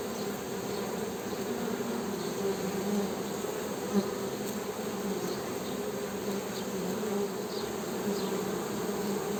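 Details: Honey bees humming: a steady, dense drone with low buzzy bands, continuous throughout with slight swells, and faint high chirps scattered above.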